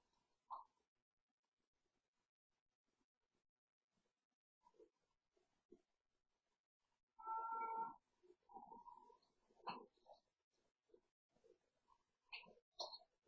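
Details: Late-night play by Cooper, a pet cat, at bedtime: a loud drawn-out yowl midway followed by rougher, broken calls, with scattered clicks, knocks and rustles of play throughout.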